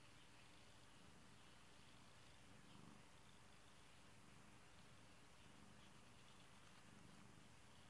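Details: A pet kitty purring quietly and continuously, a deep rhythmic rumble that swells slightly and eases in short, regular pulses throughout.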